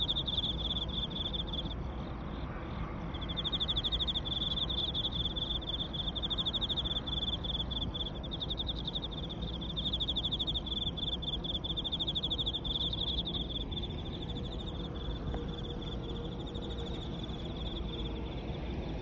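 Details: A dense chorus of Emma field crickets on the Yamato River embankment in Osaka Prefecture, Japan, many overlapping chirps forming a steady, shimmering trill.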